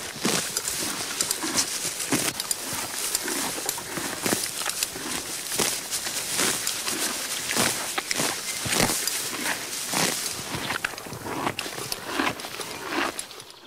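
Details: Horse grazing on grass, with dense crunchy tearing and chewing noises in quick irregular bursts that continue throughout, over a steady hiss of outdoor background.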